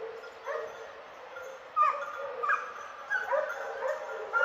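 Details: During a wild boar hunt, two hunting dogs flushing the boar give fainter, irregular yelping barks with gaps between them, against a soft outdoor hiss.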